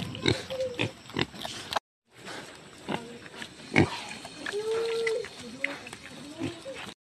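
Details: Farm-raised native pigs give low grunts, then a drawn-out, level squeal lasting about half a second, then more grunts, over background voices and a short silent break.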